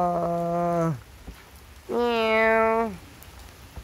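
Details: Two house cats at an elderly man's home meow in turn, each giving a long, steady, nasal cry that drops at the end.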